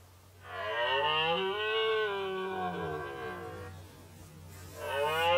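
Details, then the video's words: Loud guttural roar from a red deer in the 2019 rut, held for over three seconds with a rich harmonic, throaty tone. A second roar begins just as the clip ends, over a low background hum. "Rykowisko Jeleni"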